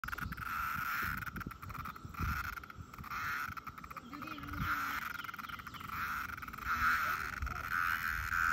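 A cicada drones steadily in a mid-pitched, pulsing buzz that barely changes.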